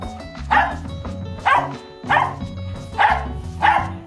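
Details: Dog's warning bark signalling danger, loud and firm; five harsh single barks spaced roughly a second apart over steady background music.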